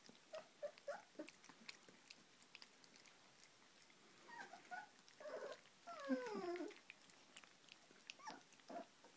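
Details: Hovawart puppies in a small room: scattered soft squeaks, then a cluster of higher whimpers and a long, falling whine. Rustling and light clicks run throughout.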